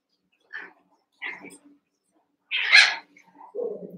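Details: Cavalier King Charles Spaniel puppies, about one month old, eight together in an indoor pen, wrestling and playing: a few short, high yips and squeaks spaced apart, ending in a lower, rougher whine, with quiet gaps between.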